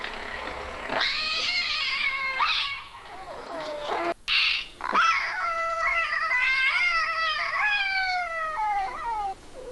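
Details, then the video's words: Yowling cat in a mating or territorial context: long moaning harmonic cries that swell and waver, with a short harsh spit near the middle and a slow falling tail at the end. "Intense Cat Yowl Sound Effect | Feline Mating & Territorial Cry"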